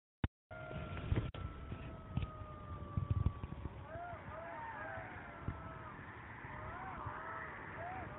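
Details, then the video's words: A territorial group of golden jackals howls in Kras, Slovenia, near the Italian border, during a jackal survey. Wavering, overlapping notes rise and fall over a low rumble. "Golden jackals howling in Slovenia"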